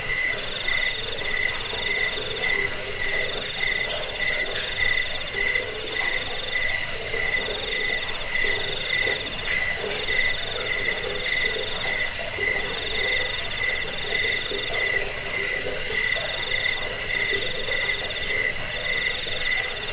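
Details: Crickets in a recording meant to repel rats, lull to sleep and train songbirds: dense, shrill, pulsing chirps in several overlapping layers, steady and unbroken throughout, with a high band ringing continuously above.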